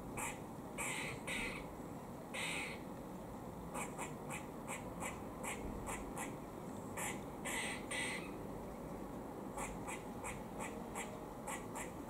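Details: Warning calls from a squirrel feeding in Cambridge, UK, 17 October 2020: clusters of rasping bursts, some quick pairs and some longer drawn-out notes, with brief pauses between bouts and constant low background rumble.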